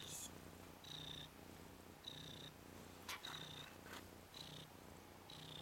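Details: A 10-day-old Ragdoll kitten, Nikita, a red/cream colourpoint male and one of three brothers, playing on his back. He gives a rhythmic low purr with high squeaky notes roughly every second, plus a few clicks.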